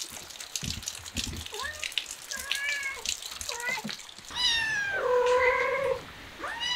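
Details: Kitten, said to be learning to act cute, amid muffled chatter and rustling, then one loud, long, drawn-out harmonic meow that holds steady for over a second before a short follow-up cry.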